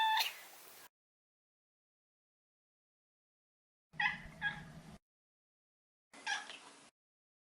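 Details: Maine Coon Maro, a neutered male born 14 March 2014 and kept as a family pet in Japan, gives three short meows separated by silent gaps, the second with a low background hum.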